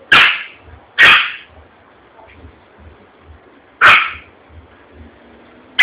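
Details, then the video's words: Yorkshire Terrier in Vitória da Conquista, Brazil, frightened by a popping balloon; a few loud, shrill barks with long pauses and low background rumble between them. "Yorkshire com medo. Balão explode e causa gritaria"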